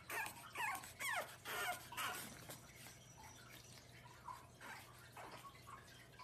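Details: A cat gives a quick series of high, bending mews over the first two seconds, then fainter, softer calls trailing off, with a steady low hum and light clicking underneath.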